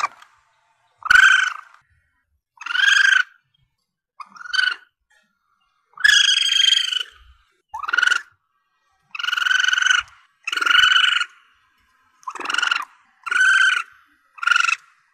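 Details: Asian palm civet young, the cries meant to help hunters summon their quarry: a steady run of about eleven short, harsh, nasal squeals, each under a second, coming close together across the whole stretch.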